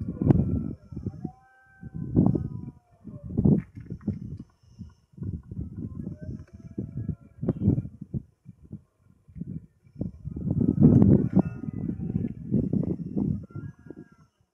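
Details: Rutting red deer in the Sierra de Andújar, Spain, late afternoon, 10 September 2024, giving the berrea: repeated rough, low bursts of roaring and grunting in short bouts, with a long, louder roar near the end.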